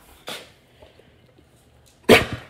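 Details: Basset Hound female barking on command to speak for a cookie as her owner returns home from work, indoors; two short broadband barks about two seconds apart, with the owner's praising voice between.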